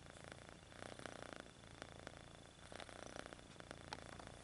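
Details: Kitten stretching its paws and purring, a clear rhythmic rumbling purr with regular pulsing strokes across the whole stretch, light rustles mixed in, steady faint high hum behind.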